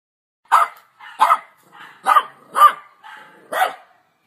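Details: A dog barking in a series of five short, sharp barks spaced roughly half a second to a second apart, with a few softer yelps in between; no other sounds.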